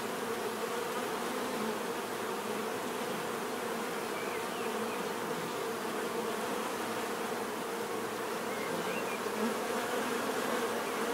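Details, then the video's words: Even, relaxing buzz of bees throughout, a dense low-pitched hum without pauses, with a few very faint high chirps in the background. "bees therapy relaxing natural buzzing sound"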